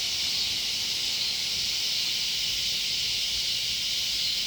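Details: Loud cicadas near a sunflower garden: an unbroken, hissing drone, even in loudness from start to finish.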